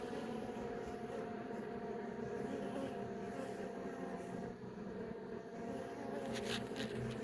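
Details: Western honey bees give a low, steady, droning hum inside an opened hive as several young bees emerge from their brood cells.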